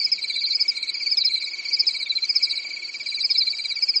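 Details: Night chorus of crickets in a quiet European summer forest: continuous rapid pulsing at two high pitches, the upper band shimmering and fluctuating, the lower one even and unbroken throughout.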